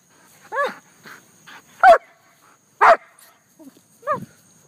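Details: Cupcake, a German Shepherd pet dog, barks outside: quieter rising yelps framing two strong, full barks about one second apart. The owner keeps saying "leave it".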